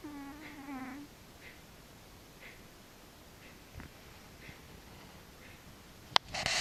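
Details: Frici, a cat, snores in sleep with one whistled nasal tone of about a second at the start, then quiet breathing-level hush broken by a sharp click and a burst of rustling near the end.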